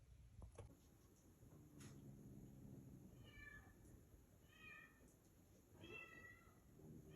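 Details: Cat and kittens: three high, thin meows with stacked harmonics, spaced about 1.3 seconds apart in the second half, each brief and slightly falling. Earlier there is a low rumbling hum and a few soft clicks.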